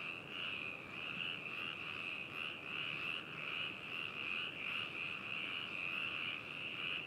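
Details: Binaural recording of frogs in Hakushu, Hokuto City, Yamanashi, Japan, 4 May 2018: many frogs trilling at once in an unbroken chorus, throbbing in soft waves about every half second.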